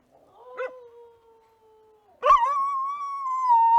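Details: An Australian dingo gives long, sustained howls with a steady, slightly falling pitch. Dingoes use such howls to communicate across long distances.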